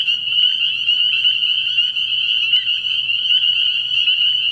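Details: Many spring peepers at a night-time frog pond early in the year, their sharp high-pitched peeps blending into a constant bright trill that barely varies, over a quiet low background hum.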